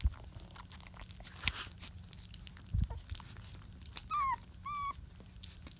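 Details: Rottweiler puppies at twenty days old, indoors: two short, high, slightly falling whimpers close together near the end, over soft rustling, clicks and chewing-like noises.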